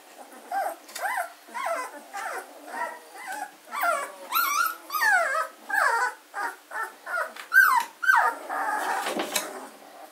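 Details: Fourteen-day-old German Shorthaired Pointer puppies at Katelands gundogs, 24 August 2016, keep up steady overlapping squeaks and whines, short rising and falling cries coming about twice a second, a few sharper yelps near the end.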